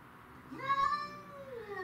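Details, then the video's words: Domestic shorthair cats fighting over territory, among them Tom, Mimi and a grey and white neighbourhood stray: one drawn-out yowl rising then holding steady, strong harmonic bands, fading at the end. "Craziest Cat Fight Compilation"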